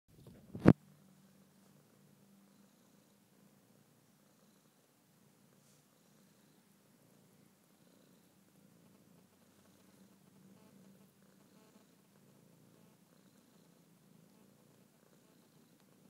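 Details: Faint, steady low purr from a male domestic cat lying in a trance on a blanket, continuing evenly under one loud sharp click near the start, with soft rustles later.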